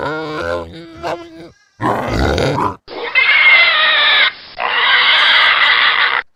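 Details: Pig in a pigsty giving a brief tonal grunt, then a noisy burst, followed by two long, shrill, sustained squeals of over a second each with a short gap between them.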